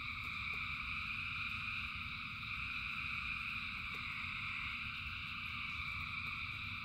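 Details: In the rain, thousands of frogs sing at once, their calls blending into a constant shimmering high trill with no breaks, layered over a deep steady murmur.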